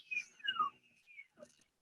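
A beluga whale gives high whistles that slide downward, then a steady whistle and a brief squeak.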